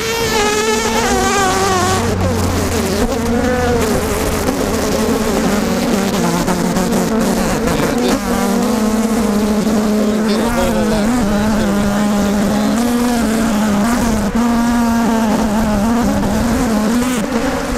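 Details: Very aggressive Africanized honey bees buzzing while their hive is opened for honey removal: a loud, unbroken droning swarm with wavering tones rising and falling throughout.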